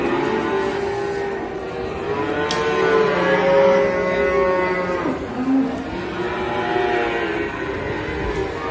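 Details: Jumbo cow with a sore leg bellows in long, resonant moos. One low call swells to a peak, then bends sharply down before rising again, as onlookers watch nearby.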